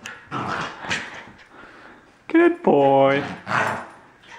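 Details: A male Corgi puppy protesting his new collar gives two drawn-out, tonal whining cries in the second half, after a person's soft talking and praise.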